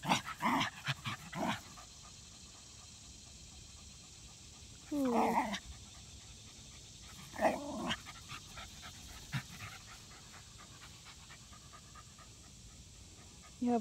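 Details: Zimbu, a tired happy rat terrier at play time with his sister Nalla, pants in soft breathy bursts broken by louder whining, growly outbursts, while a person calls him to get his toy.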